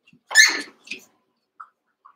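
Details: Cavalier King Charles Spaniel puppies, a litter of eight about one month to seven weeks old, wrestling and playing together in an indoor pen; one sharp, noisy high yelp, then a few faint soft squeaks and taps.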